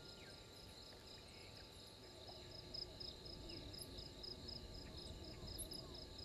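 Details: Night insect chorus at a waterhole in Djuma Game Reserve, Sabi Sand Wildtuin, South Africa, 03:44, 12/04/21: rapid, evenly spaced high chirps about four per second over a constant shrill hum and soft low rumble.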